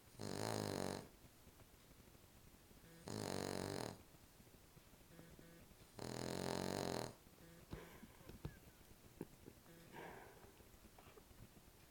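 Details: Asleep indoors, a female Cavalier King Charles Spaniel snores three times, each a rasping, buzzy breath of about a second, spaced roughly every three seconds, followed by faint clicks and rustling in a quiet room.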